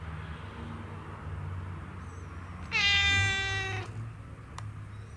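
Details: House cat producing a single sustained meow of about one second that starts slightly higher and settles, with faint low room rumble and a brief tap afterward.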